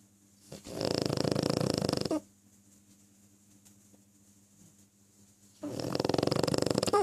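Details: Pug snoring indoors: two long, harsh, rattling breaths, each about one and a half seconds, made of rapid fluttering pulses and separated by a quiet pause.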